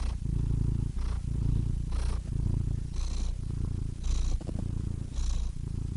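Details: Cat purr close up: deep vibrating rumble broken into breath phases about one second apart, each turn of breath bringing a short soft hiss.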